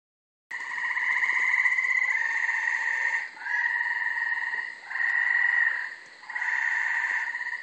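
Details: Multiple gray treefrogs singing at night from a brushy, wooded undeveloped corner lot in Carolina, Rhode Island, in late May: loud pulsed musical trills about one to one and a half seconds long, overlapping callers alternating with brief gaps.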